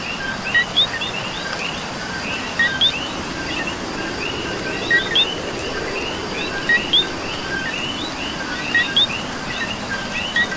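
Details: Rainy Puerto Rico night chorus of coqui frogs, many overlapping bright chirping notes with a clear two-part co-qui pattern recurring every second or two above a soft hiss of falling rain.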